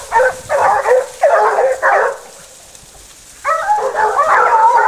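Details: Several Basset Hounds from the French Rallye de l'Allagnon kennel trailing a scent, giving loud harmonic baying barks in overlapping bursts, a pause near the middle, then a longer rising, wavering run of voices.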